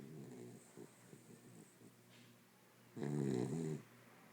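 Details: Sleeping Corgi named Apple snoring indoors: a run of soft, fluttering, rattly breaths, then one loud, rough, harmonic snore lasting close to a second.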